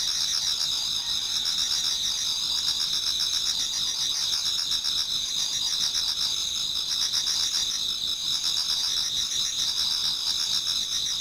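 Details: Japanese garden in autumn before dawn, many insects singing: bright piercing high trills overlap a steady pulsing chirp near four beats per second, dense and unchanging, nothing else audible.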